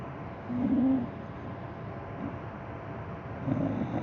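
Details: Timuryanka, a dog kept as an emotional support animal, snores while asleep: two low, droning snores with a nasal whistle about three seconds apart, the first longer, with soft breathing between them in a quiet room.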